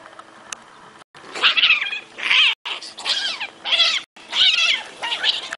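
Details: Cat letting out a run of high, squealing meows in about five short bursts separated by brief silences, each call wavering and sliding in pitch.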